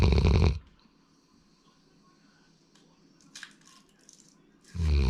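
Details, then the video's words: Male Labrador Retriever Sora snoring: a loud, deep, rasping snore opens the recording, quiet breathing-level room sound follows for about four seconds, then another heavy snore begins at the end. "ラブラドールの いびき"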